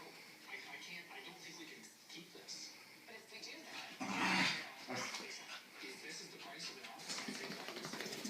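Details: Pet corgi, described as a corgi / bulldog mix, vocalising after a bath: strained, nasal whining noises with a louder broadband burst partway through, and people talking over the sounds.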